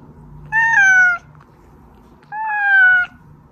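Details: Domestic cat named Oz, one of three house cats with Meonji and Dubu, meowing; played to lure hiding cats out. Two drawn-out harmonic meows, each gently falling in pitch, separated by a short pause, over a faint low indoor hum.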